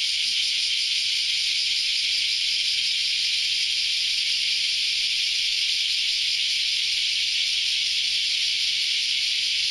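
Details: Cicadas in a loud early Saturday morning chorus: a dense, steady, hissing buzz that holds without pause or change through the whole recording, with no other clear sounds.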